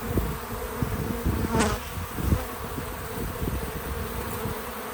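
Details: Bees at a farm feeder outdoors, a dense low buzz with uneven swells, a sharp brief click early on and another pulse soon after.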